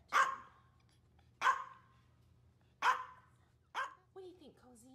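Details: Pet Maltese barking on a hot summer day: four crisp single barks spaced over a second apart, then a woman's voice speaks softly at the end over a low background hum.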